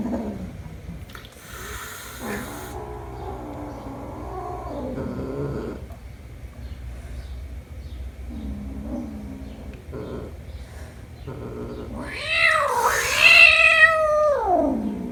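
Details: Kitten meeting its mother again after one month apart; soft scattered mews and chirps give way to a loud, drawn-out meow that rises and falls near the end.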